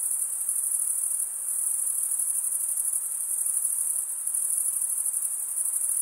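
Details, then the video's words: Crickets stridulating in a constant high, buzzy trill with fine rapid pulses, loudness barely varying across the stretch, background otherwise quiet. "Most relaxing cricket sound for 8 hours"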